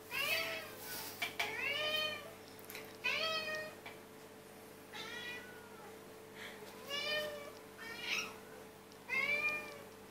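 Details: Cats waiting and begging for their food as part of a daily routine, giving a series of about eight loud, rising-then-falling meows every one to two seconds.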